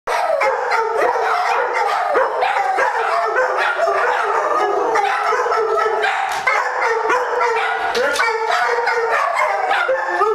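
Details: Several dogs howling together in a chorus: many overlapping wavering, drawn-out tones layered with sharp barks, forming a continuous dense wall of sound with no pauses; a human voice is also present in the mix.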